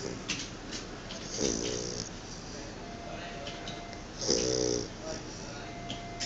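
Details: Chow Chow dog snoring while asleep indoors: two loud rasping inhalations about three seconds apart, each with a buzzy lower band and a hissing top, between quieter steady breathing.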